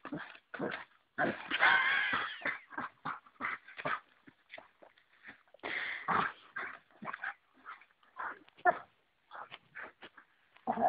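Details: Pet Dalmatian in a playful brawl with an oversized stick: choppy growls and huffs repeat quickly and unevenly, with louder, longer rasping bursts near the start and middle, then scattered short grunts.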